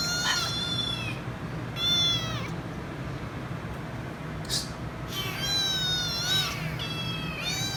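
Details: Insistent kitten crying loudly for head rubs: a short meow, then a longer wavering one, a pause with a brief noise burst, then a run of wavering meows, over a steady low hum.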